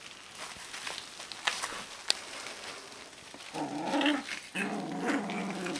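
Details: Young Alaskan Malamute puppies, 18 to 25 days old, give a sudden rough growl lasting about a second, then another after a short gap, following quiet rustling and soft clicks.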